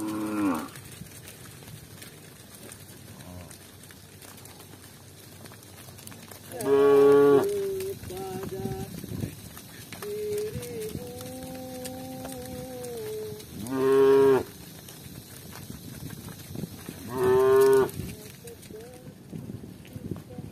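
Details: Village cows walking together accompanied by shepherds; three loud, harmonic moos rise and fall, spaced several seconds apart, with a softer wavering tonal call between them over a low outdoor hum.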